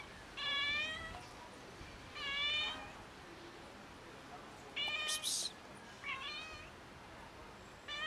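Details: Neighbourhood stray cat family, fed daily by locals, meowing repeatedly: four or five drawn-out, harmonic-rich meows spaced about two seconds apart, some rising then falling, with a brief hiss of noise between them.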